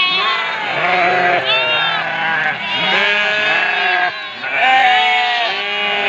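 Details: Ewes bleating loudly for their lambs, several overlapping drawn-out, quavering calls with arched pitch contours, continuous throughout and hardly a gap between callers.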